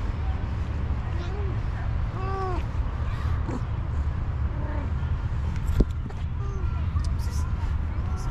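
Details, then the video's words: Hungry orange cat meowing for food: several short arched, tonal meows, spaced a second or two apart, over a constant low rumble of traffic with faint voices. "The Hungry Orange Cat: Meows for Food"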